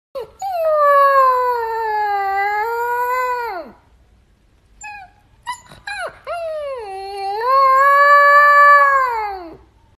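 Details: Siberian Husky. A husky puppy lets out a sustained howl that dips, rises, and falls away at the end, followed by a few brief yips. A second long howl then swells upward and trails off.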